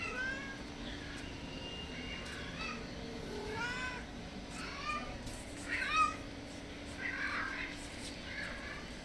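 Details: Soft meowing from hungry stray cats visiting a house in search of food and shelter; short, rising meows spaced a second or two apart, with one louder knock and steady background hum.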